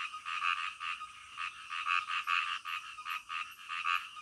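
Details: Frogs croaking at night, a calm night-time scene meant to lull listeners to sleep; rapid, nasal pulsed croaks in quick uneven bursts, several overlapping, with a faint steady high hiss behind them.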